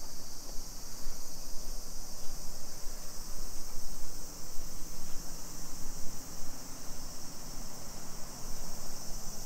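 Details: Summer cicadas in a suburban neighborhood of Nisshin city near Nagoya, Aichi Prefecture, Japan, at 2 PM on 28 July 2021: a dense, unbroken high-pitched buzzing drone that swells and fades slightly, with low rumbling street noise beneath.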